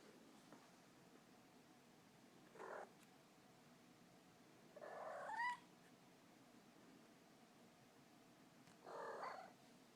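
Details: Pet cat making odd noises: three short, separate calls several seconds apart, the middle one a brief meow that sweeps sharply upward, heard over a quiet background hum.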